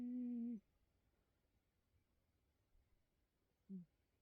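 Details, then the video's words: Bedford, a Bengal cat, making unusual noises while asleep: a steady, low, humming tone lasting half a second, then quiet. A brief, softer second hum comes near the end, in a small, quiet room. "Funny cat snoring"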